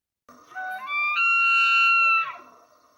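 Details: A male elk bugles in the rutting season to attract females and challenge rivals: a whistled tone climbs in steps, holds high and clear for over a second, then drops away.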